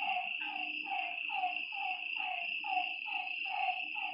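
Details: Frogs at a lakeside after dark: evenly repeated short croaks that slide down in pitch, about two each second, under a loud, unbroken insect buzz.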